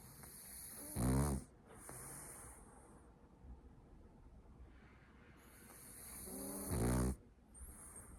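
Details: French Bulldog asleep on its owner's lap, snoring: two loud, rough, low rattling snores about six seconds apart, each under half a second, with soft breathing and a faint hiss between them.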